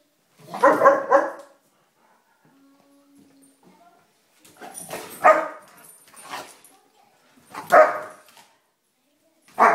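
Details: Three German Shepherds teasing each other in a playful spat indoors; harsh broadband growling barks in bursts about every two to three seconds, with quiet gaps and a faint hum between.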